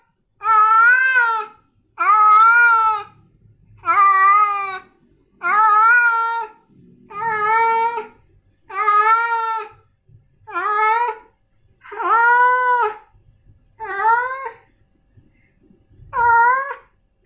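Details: Insistent repeated meowing from male cats Snowy and Milo: about eleven evenly spaced, half-second cries, each rising then falling, delivered roughly every one and a half seconds in a quiet indoor setting.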